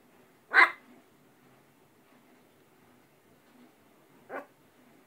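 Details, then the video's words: Pet dog on a talkative day, 19 September 2010, giving two short, sharp barks about four seconds apart, with quiet room noise between them. "Peanut barking"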